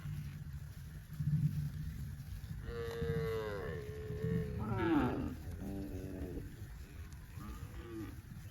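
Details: Dozens of tame cows in green grass rice fields on a cattle farm; after low rumbling background, a long wavering moo, a sharper rising call, and shorter fading moos.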